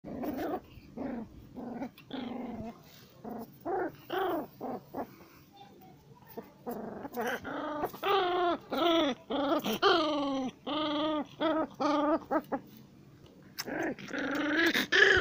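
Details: Pit bull puppy in aggressive play, making a rapid run of short, harmonic yaps and growly barks, several per second in bursts, with brief quiet gaps and a rougher outburst at the end.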